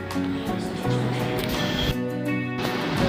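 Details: Only music is heard, with sustained harmonic tones and a faint voice underneath; no animal calls.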